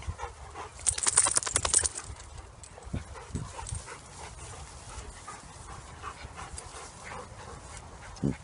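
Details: Ten-month-old Labrador-Bernese Mountain Dog mix Fiete playing with dogs Gismo and Barnie; a quick run of breathy, rapidly repeated pulses early on, then softer scuffles and occasional low grumbles.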